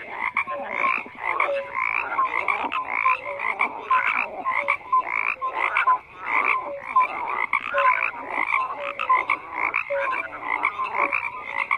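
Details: Frogs croaking in a dense overlapping chorus, pulsed croaks layered with short whistled notes, steady and continuous with no other sounds.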